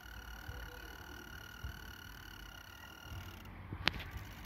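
A mole cricket sings a steady, low, purring trill that stops abruptly, with a sharp click afterward.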